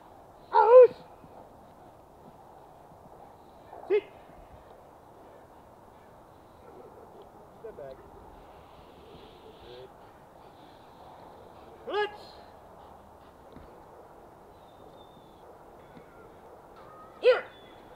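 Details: Protective, obedient German Shepherd giving single loud barks spaced several seconds apart, four sharp bursts over eighteen seconds against a quiet background.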